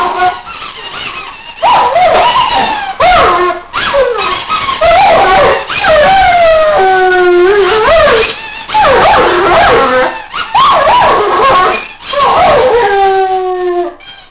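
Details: Pet Weimaraner Archie out-squeaking his toys in a sung duet: wavering howls gliding downward, interrupted by yips and shrill toy squeaks, the howls holding steady tones near the end.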